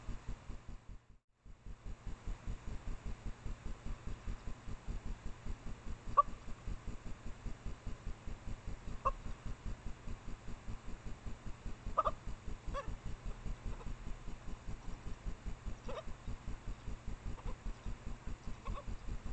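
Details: Japanese badgers, a female in heat and a male, mating out of sight near her sett in secondary woods around 1 AM in late April, caught by a trailcam: short sharp yelps at uneven intervals over a steady low rhythmic throbbing.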